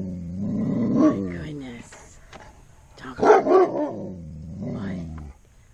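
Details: Giant Alaskan Malamute that seldom growls or barks, sounding off because something scares him: a drawn-out low growling moan, then a short burst of barks, with a woman talking anxiously over it.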